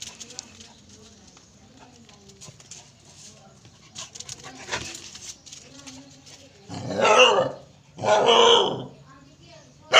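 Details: A pet dog lets out two loud, harsh barks close together near the end, each lasting under a second, following a quieter stretch of people talking and faint household noise.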